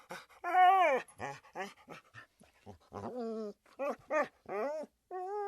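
A Siberian Husky gives a run of whiny, rising-and-falling talking yowls and short grumbles.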